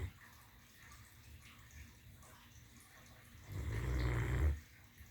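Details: Great Dane named Dream girl snoring while lying on her pillow indoors; faint low breathing, then one loud rasping snore of about a second near the end.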